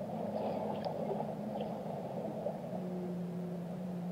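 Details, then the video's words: Whale song: long, low, steady moaning tones held over a dense rumbling underwater hiss, with a few faint higher squeaks in the first two seconds. "Relaxing Whale Songs"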